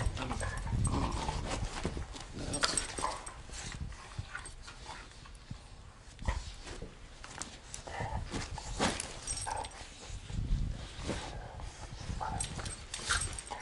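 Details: Two German Shorthaired Pointers, Badger and the larger female Piper, play-fighting in a living room; low rumbling growls and scuffling run throughout amid constant rustling and thumping.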